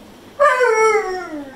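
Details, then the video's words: Pit bull dog giving attitude to its owner at home after being left alone all day: a single harmonic, mournful howl starting sharply and sliding steadily downward over about a second. "Funny Pitbull Dog Talking More Than A Husky"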